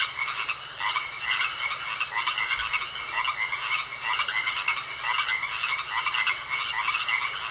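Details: Pond frog chorus with many overlapping rasping croaks in quick succession, forming a continuous pulsing wall of sound over a faint steady high whine.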